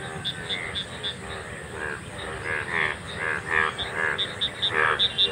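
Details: Golden frogs calling together in a field in India, a group seen only once a year; many overlapping harmonic croaks, fast and irregular, with higher clicking notes above and a steady background hiss.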